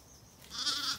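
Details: A Zwartbles lamb on a County Kilkenny, Ireland farm gives one loud, high, quavering bleat after being left behind as ewes and lambs return to the garden paddock for the night. It calls loudly and is easily found.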